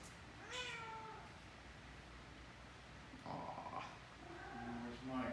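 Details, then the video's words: Talkative female cat playing nose to tail with a six-month-old Great Dane puppy, giving a short upward meow, then a woman's voice and further chirping meows near the end. "Talkative Cat"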